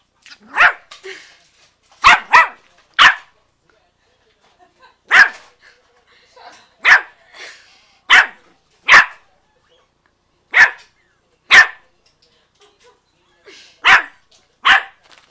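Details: A 4-month-old female Yorkshire Terrier puppy, playing, barks at the camera with sharp, high yaps, singly or in quick pairs, every second or two.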